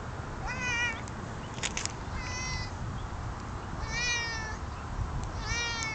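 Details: Pet cat on guard duty on a nice spring day, giving four drawn-out meows with rich harmonics, some rising then falling, spaced over a few seconds, with sharp clicks between them and a steady low rumble behind.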